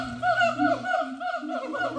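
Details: A family of siamang gibbons at Bali Zoo, Indonesia, in the trees, where males and females call together; a run of wavering, rising and falling hooted tones sounds over a steady low hum.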